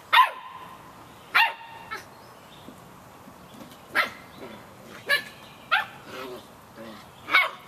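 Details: Samoyed puppies, 51 days old, yapping in the rain: sharp high yips scattered irregularly, roughly eight bursts in under eight seconds, some with bright harmonic tails, over a steady hiss of falling rain.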